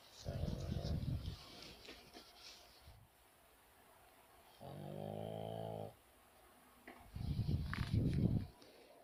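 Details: Sleeping pug snoring in rough low rumbling bursts, with a steadier harmonic nasal tone in the middle, three snore bouts separated by quiet pauses indoors.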